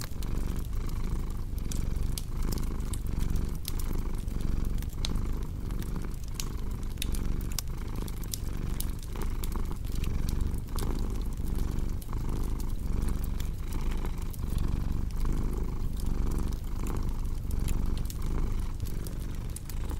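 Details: Low, rhythmic cat purr rising and falling with each breath, partly masked by frequent crackling and snapping from a fireplace.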